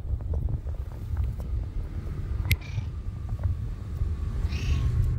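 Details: Friendly stray cat living on the street gives two short, thin meows a couple of seconds apart over a constant low rumble of wind and traffic.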